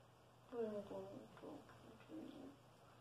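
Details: Redbone Coonhound giving hugs and love to its owner indoors, letting out three short bursts of low, moaning whine with stacked harmonic tones, the first wavering downward, spread over about two seconds in a quiet room.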